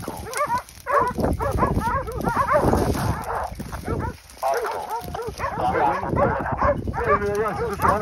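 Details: Hunting dogs keeping a group of wild boar at bay in Pratomagno, Arezzo, Italy. They bark in a thick, continuous chorus with overlapping yelps and a few longer howling notes, while men call out in the background.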